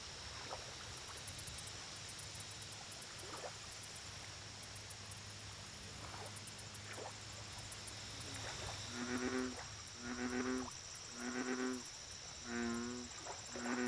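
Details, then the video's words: American bullfrog calling at a lake. About eight seconds of quiet water with soft drips and splashes come first, then four deep, harmonic, droning notes in quick succession. High insect clicking continues in the background. "Bullfrog Lake Audio Only"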